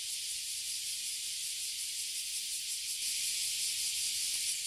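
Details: Oily cicadas and bear cicadas (abura zemi and kuma zemi) filling a tree in Toyohashi City, Japan, sounding a dense, steady, hissing high buzz that holds without a break throughout.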